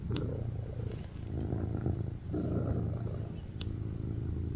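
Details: Tuxedo cat purring loudly while lying on its owner's lap: a continuous low rumbling drone with breath-paced swells, briefly dipping in the middle, plus a couple of faint clicks.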